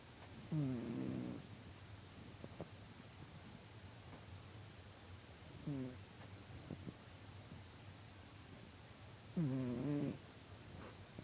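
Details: Domestic cat asleep, recorded on September 22, 2013, snoring in three slow rasping breaths roughly four seconds apart, each a low rattling snore lasting under a second, with quiet steady background hiss between them.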